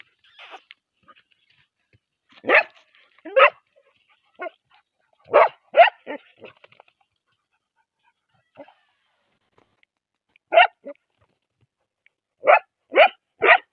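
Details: Young bull terrier barking in a quiet room: sharp, loud barks, mostly single or in pairs, with gaps of several seconds, about ten barks in all.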